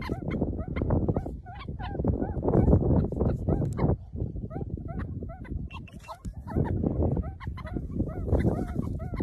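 Meerkats give quick, repeated chirps that rise and fall, overlapping over a steady low rumble.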